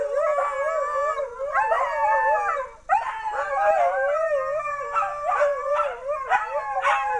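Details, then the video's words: Dogs howling in August 2010: overlapping wavering howls in a dense chorus, a brief drop in the middle, then renewed howling with quick rising yips and bark-like accents. "Dogs Howling"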